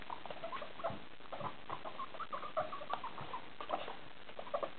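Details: Pet guinea pig named Pruts wanting attention during playtime, giving short repeated squeaky chirps and mid-pitched whistles in quick uneven bursts over soft pattering and shuffling.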